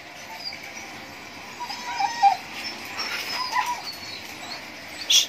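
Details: Siberian Husky during mating, giving soft, thin whimpering whines that rise and fall, one near the two-second mark and another around three and a half seconds, over a low steady hiss, with a sharp click at the end.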